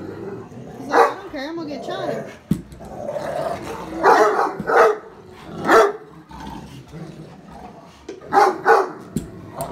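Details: A male Great Dane, who has recently become very vocal, barks at the family's daughter with heavy, booming barks, singly and in quick pairs with short pauses, while a person talks between barks.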